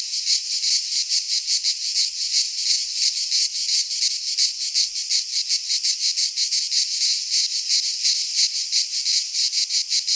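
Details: Midsummer cicada chorus from a pine forest in Greece: a harsh, steady high buzz with quick regular pulses, about three per second, throughout; nothing else audible.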